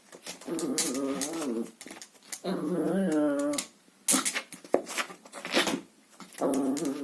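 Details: Chihuahua playing indoors with a vacuum cleaner hose, giving long wavering growls that rise and fall, broken by scraping and knocking noises from the hose.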